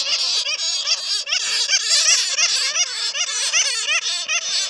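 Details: Bats caught in a net, recorded for luring others: rapid, overlapping squeals and chirps, roughly two or three per second, forming a shrill, chattering din.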